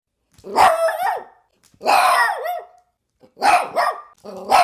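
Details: Dog giving loud, drawn-out barks with whining, bending tones, four bursts spaced about a second apart with short silences between.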